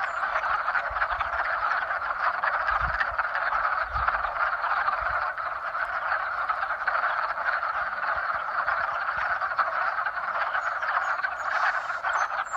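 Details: A springtime frog mating chorus, steady and dense, with numerous croaking voices merging into one continuous trilling drone and a few faint low thumps.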